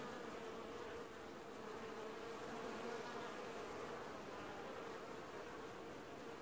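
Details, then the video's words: Washboarding honey bee colony at an apiary hive, filmed early July 2019; a thick, even swarm drone with a bright steady tone running through it, gently swelling and easing in loudness. "Washboarding Bees & Ambient Sounds"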